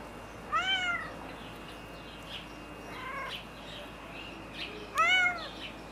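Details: Female white Turkish Angora cat on a summer day in Florianópolis, Brazil, giving three clear meows spaced a couple of seconds apart, the last the loudest, with a thin steady high tone behind.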